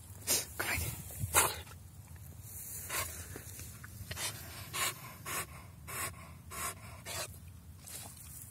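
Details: Staffordshire Bull Terrier crossed with Whippet, outdoors while fetching a stick, panting in rapid breathy bursts roughly every half second, with wind noise and a person urging it to find its stick.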